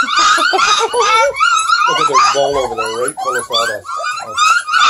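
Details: Indoors near Kingston, Ontario, a litter of hungry Redbone Coonhound puppies cries constantly. Shrill wavering yelps and whimpers overlap, and a human voice is heard in the middle.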